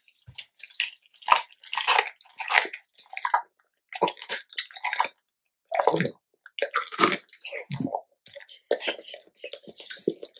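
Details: Raw-fed Labrador Retriever gnawing a large chicken carcass, giving sharp bony crunches and squishy wet bites in clustered bursts separated by brief pauses.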